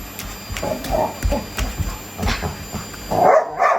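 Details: Labrador Retriever excited by a vacuum cleaner and turning beastly during a vacuum battle alongside a Shiba Inu; short gruff barks and growling bursts, ending in a louder double outburst, over a steady household hum.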